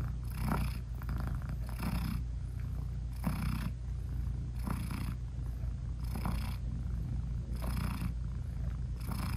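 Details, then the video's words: Mother British Shorthair cat purring contentedly while her tiny blind kittens nurse; a low steady vibrating purr with regular breathy pulses about every one and a half seconds, no other sounds. "Cat Purring Meowing 🥰Sweet Mommy Cat Talking to her Cute Tiny Kittens 😘British Shorthair Cats"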